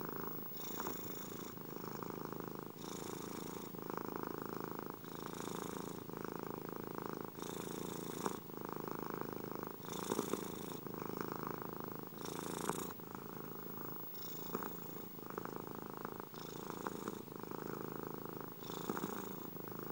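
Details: Domestic cat purring steadily in a close, continuous rumble, the breath alternating between softer and brighter phases about every one to two seconds, with no other sounds.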